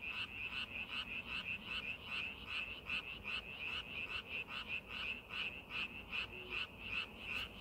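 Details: Paddy frogs during farming preparation keep up a rhythmic string of bright pulsed croaks, around two and a half per second, with other callers softly behind.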